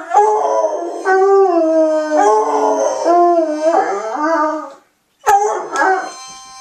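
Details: Two Otterhounds howling together, said to sing in tune; long sustained wavering howls with rich harmonics, gliding up and down in overlapping phrases, a brief silence near the end, then a renewed howl.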